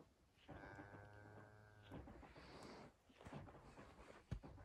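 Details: Scottish Highland cattle cows on a farm in Finland, running through snow toward a forest on 6 January 2021, recorded on an iPhone 11. A low, steady, droning moo lasts about a second and a half, followed by thuds and snowy footsteps.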